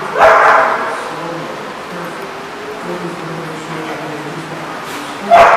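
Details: Dog barking on July 18, 2014: a sharp bark at the start and another at the end, with a quieter stretch between holding faint low whines or distant sounds.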